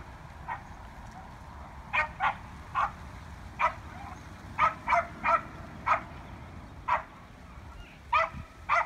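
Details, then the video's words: Elk fighting on a street in Evergreen, Colorado, October 19, 2018, give clipped, hoarse bark-like grunts. They come singly and in quick clusters with brief gaps, against low background rumble. "Elk Street Fight"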